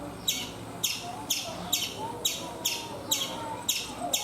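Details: Chipmunk on a coconut tree in India giving sharp, high, clicky chirps repeated roughly twice a second in a steady series of eight, over a low background hum.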